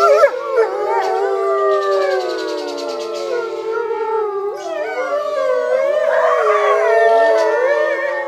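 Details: Several grey wolves at Big Run Wolf Ranch, a wildlife refuge in Lockport, Illinois, howl together in long, overlapping, wavering tones that slide up and down.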